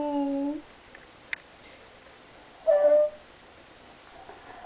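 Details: Gigi, a Pembroke Welsh Corgi, whines indoors because her owner isn't playing ball: a steady, clear whine for half a second, a pause with a faint click, then another brief higher whine and a short squeak.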